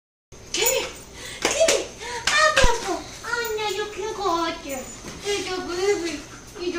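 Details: Luna, a female black German Shepherd and wolfdog mix of lower mid content, kept as a pet for over seven years, excitedly greeting her owners indoors on their return from dinner: sweeping, harmonic whining moans that rise and fall in quick succession, with a few sharp thumps.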